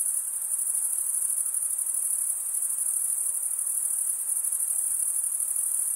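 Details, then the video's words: Chirping crickets, the males' wing-rubbing stridulation, heard as a dense high-pitched continuous ringing with a quick steady pulse and gently wavering loudness, alone in a quiet background. "Most relaxing cricket sound"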